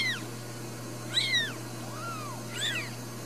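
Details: Ragdoll kittens, newborn, in a home cattery in central Kansas: quick high-pitched mews, some rising then falling, one lower drawn-out cry, about four calls in three seconds with faint hum beneath.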